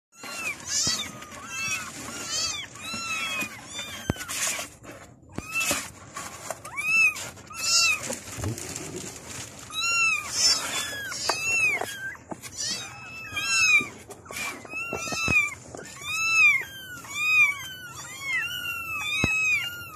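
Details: Several kittens meowing to call their mother: many high, arched, harmonic-rich mews overlapping almost continuously for the whole stretch, some short and chirpy, others drawn out, with brief rustling thumps between.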